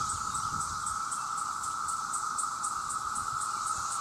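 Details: Cicada males in a huge chorus calling for mates, a steady buzzing drone layered with a shrill, hissing pulse repeating about four times a second.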